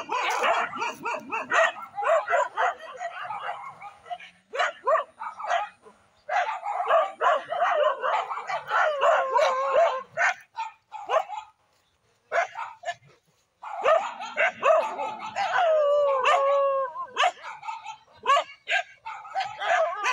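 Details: Village dogs in a dangerous fight: rapid overlapping barks, yelps and growling snarls in irregular bursts, with brief pauses and a few drawn-out whining howls near the end.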